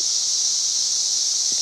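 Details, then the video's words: Loud cicada chorus recorded May 31, 2024, near 90 decibels, a continuous piercing hiss-like buzz, with a brief human voice sound right at the very end. "91+ dB Cicada Singing"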